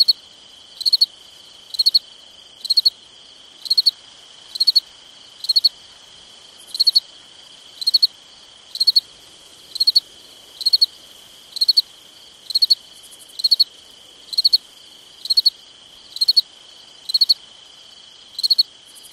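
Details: Nighttime summer cricket chorus: a cricket gives short pulsed chirps of three or four notes, regularly about one per second throughout, set against a constant shrill trill.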